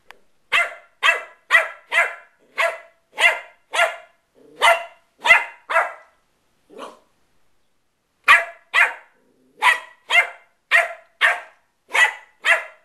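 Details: Playful Westie puppy yapping steadily, roughly two sharp high barks per second in a long run, one faint whine near the middle, a gap of silence, then the rapid barking resumes.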